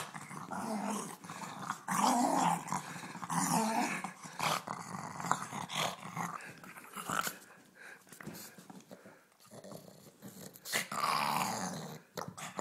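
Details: Growling from Ulisse, a pet pug at play inside: gravelly, throaty grumbles come in uneven bursts with loud peaks and quieter stretches, mixed with rustling and thumping of movement.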